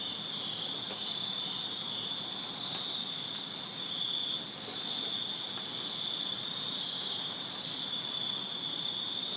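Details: Crickets chirping on a summer night in a backyard in Virginia: a dense, continuous high trilling band, steady and unbroken, with a fainter higher shimmer above it and a few faint clicks.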